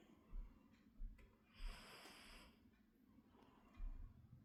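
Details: Sleepy cat snoring, soft low rasping breaths pulsing about every half second to second, with a louder airy hiss in the middle; quiet indoor background.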